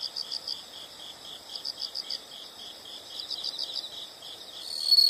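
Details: Several insects call together, high pulsed chirps rising and falling in short rhythmic bursts over a faint steady trill, which swells louder near the end; quiet natural background otherwise.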